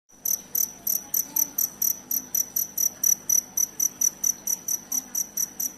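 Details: Cricket chirping, a sound played to repel rats: sharp, high, ringing chirps repeated steadily about four times a second over a quiet low hum.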